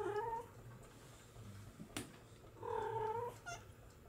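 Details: Young Bengal kittens, born July 2022, giving two long, level, harmonic-rich cries about two seconds apart, each near half a second or more, with a sharp click between them and a low background hum indoors.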